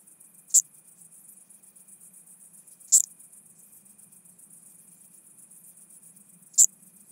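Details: Chabrier's marbled bush-cricket recorded in Arzo, Switzerland, 4 August 2023, via a Pettersson D 100 ultrasound detector, noise-reduced: three short, very high clicking chirps spaced two to four seconds apart over faint low hum.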